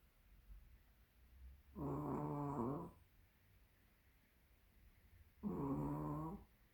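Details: Sleeping, plump Pomeranian snoring indoors: two drawn-out, buzzy, rattling snores, each about a second long and roughly four seconds apart, separated by near silence.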